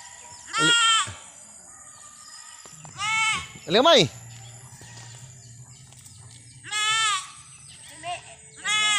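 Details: Goats from Mindanao, Philippines, calling in high, nasal, quavering bleats about every few seconds, some short and sharp, with a low steady hum in the background.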